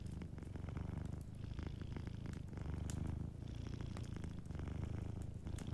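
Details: Deep, continuous purr from a sleeping cat by a cozy fireplace, pulsing in rhythmic in-and-out breaths roughly once a second, with faint crackling from the fire behind it.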